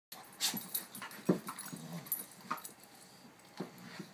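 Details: Pet dog in a play session with her foster sister, giving short whimpers and yips scattered irregularly among rustling and panting sounds in a small room.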